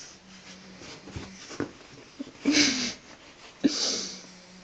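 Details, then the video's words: Sleeping pug twitching indoors, giving two loud, breathy, hissing snore bursts about a second apart, rough and noisy, with quieter snuffling breaths and faint rustles between them. "Мопс храпит и дергается"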